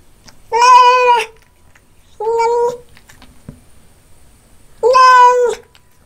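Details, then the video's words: Cat meowing during a meal of fish, three clear harmonic meows, steady in pitch, spaced roughly two seconds apart over quiet background. "Loud om nom nom & meow cat"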